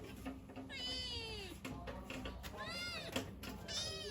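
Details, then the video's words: Pet kittens meowing for their mother: three drawn-out, high, wavering meows, each arching up and down, about one second apart, over a steady low background hum. "Kittens meow so cute(The kittens wanted their mother)|kittens sounds"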